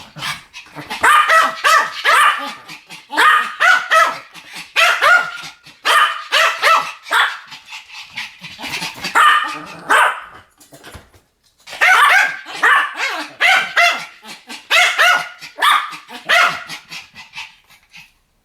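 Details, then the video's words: Duet barking by Pomeranians, 10 November 2015: long runs of rapid, piercing yaps in volleys of four to six, broken by a brief quiet gap near the middle before the barrage resumes. "ポメラニアン Pomeranian デュエット吠え 1000回 犬の鳴き声"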